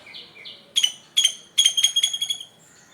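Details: In the morning, a squirrel gives sharp, high-pitched chirps in quick bursts, each note bright and slightly ringing.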